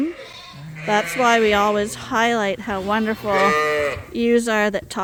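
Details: Mixed groups of Suffolk lambs in a barn at Ewetopia Farms give loud, quavering bleats in quick succession, four or five long wavering cries overlapping one another.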